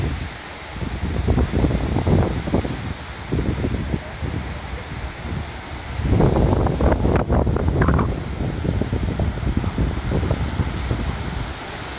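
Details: Heavy gusting wind buffets the microphone outdoors, with rustling and faint voices, and no barking.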